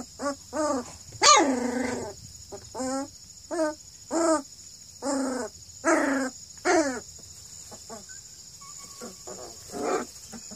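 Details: Purebred Redbone Coonhound pups at two and a half weeks old, one male and four females, near Kingston, Ontario, Canada. High, squeaky puppy barks and yelps with harmonic stacks, about a dozen bursts spaced roughly half a second to a second apart, with a steady high electronic whine behind them.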